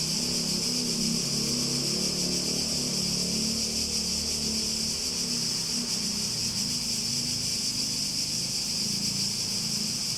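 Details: Cicadas singing in a continuous, steady high-pitched buzzing drone that holds without pause for the whole stretch, over a low, wavering engine-like hum in the background.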